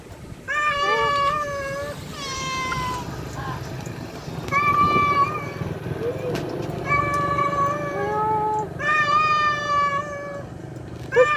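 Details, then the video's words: Tomcat calling for a wild female: a run of rich, nasal meows and yowls, several rising and falling, packed closely with brief gaps, along with faint low background noise and occasional voices. "Suara Jantan Kucing Panggil betina Liar"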